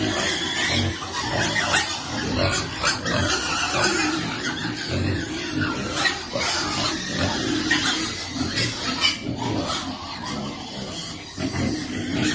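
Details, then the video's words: Lovely little piglet calling while it waits for food: harsh, repeated grunts and squeals in quick irregular bursts, the noisy chatter running almost continuously through the feeding. "Baby piglet waiting eat food, feeding lovely piglet."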